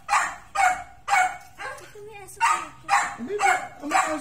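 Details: Barking from one of two dogs, a Miniature Pinscher and an American Bully, meeting for the first time: a run of about eight sharp barks, roughly two per second, with a brief pause in the middle and people talking underneath.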